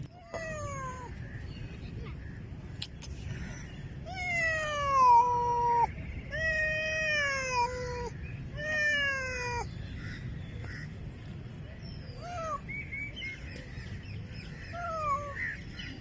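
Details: Cat repeatedly meowing, drawn-out falling mews about a second long, coming in a series with short pauses between, then softer, shorter mews toward the end over a low constant hum.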